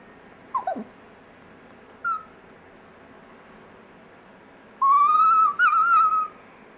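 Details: Dexter, a pet Chihuahua, "singing": after a quick falling squeak and a short chirp, one high, steady, wavering howl of about a second and a half, rich in overtones, over a quiet hiss.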